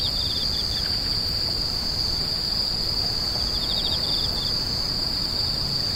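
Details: Grass insects calling: an unbroken high, shrill ringing tone with short bursts of rapid ticking pulses slightly lower in pitch near the start and again after four seconds, over a faint low rumble.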